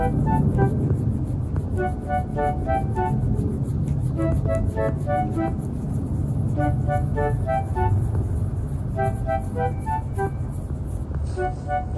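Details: Loud, deep rumbling background with repeated bright melodic notes, no barking or other animal sounds present.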